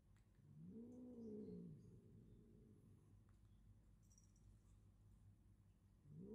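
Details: Comical fight between short-legged domestic cats, one rising then falling moaning yowl early on, a second yowl starting at the very end, quiet hiss in between.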